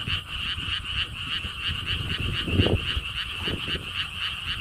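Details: Lotus park frogs in Siheung, Korea, calling in chorus: rapid pulsed croaks repeating steadily through the short stretch, with a gust of wind swelling in the middle.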